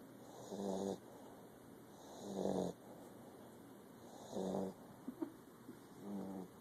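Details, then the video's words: Sleeping Pit Bull snoring loudly indoors, four rasping breaths about every two seconds, each a low rumbling buzz with a steady hiss between them and a couple of small clicks. "Pitbull Snoring"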